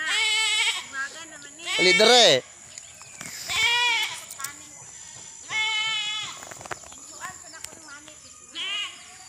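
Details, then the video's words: Goats bleating in Mindanao, Philippines: a series of nasal, quavering bleats, each about half a second long, repeated every second or two. One louder, strained bleat comes early, and faint background noise fills the gaps. "Ang kambing sa MINDANAO phillppines"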